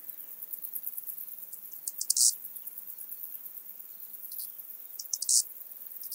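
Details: Eastern banded grasshopper at Zalahalap, Hungary, 18 July 2022: two brief, loud rasping bursts of stridulation stand out above a steady haze of faint ticking.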